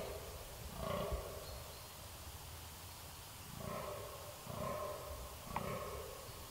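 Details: Red deer, recorded 13 October 2019, roaring at a distance: a low, drawn-out bellow near the start, then a longer two-part bout a few seconds later and a brief final grunt, over a steady hiss of background noise.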